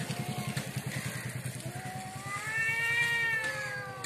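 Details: Cat fight outside a house: a steady low pulsing engine-like rumble underneath, then a long thin yowl that climbs and holds, rich in harmonics.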